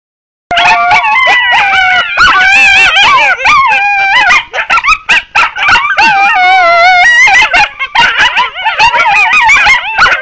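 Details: A coyote pack in a loud chorus of yips, yelps and quavering howls, many voices tangled together without pause for about ten seconds.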